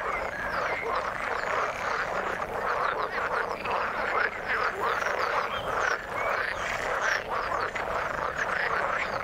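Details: Continuous chorus of frogs in the water, dense rasping croaks overlapping steadily, with a few louder pulsed calls standing out near the middle.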